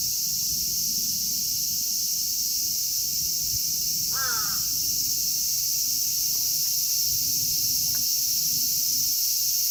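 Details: Unbroken high-pitched buzzing of a cicada chorus in Kitatama District, Tokyo, Japan, with Platypleura kaempferi, Graptopsaltria nigrofuscata and Hyalessa maculaticollis among the singers; the shrill wash stays level throughout while a single crow caw sounds once near the middle.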